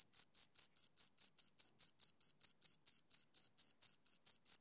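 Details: Two crickets produce sharp, piercing chirps in a rapid even rhythm, roughly four or five pulses each second, each carrying a faint higher echo tone, against complete quiet.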